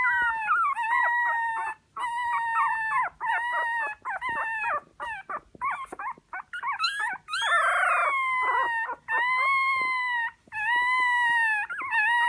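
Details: A dog whines and howls in drawn-out, high, nasal tones broken by brief yelping notes, calling almost continuously with short pauses between phrases.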